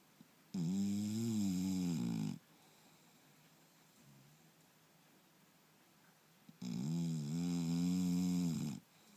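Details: Turbo, a sleeping English Bulldog, snores once more: two long buzzing, rattling snores of about two seconds each, separated by roughly four seconds of soft, quiet breathing indoors.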